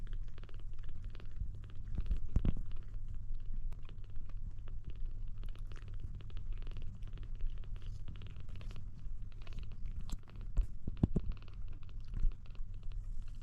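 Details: A kitten working at drinking milk keeps up a continuous low purr, overlaid by scattered sharp clicks and wet lapping sounds.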